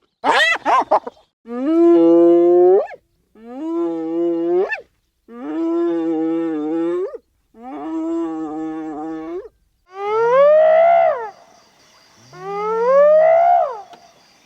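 A spotted hyena gives a series of long, drawn-out calls that swoop upward in pitch.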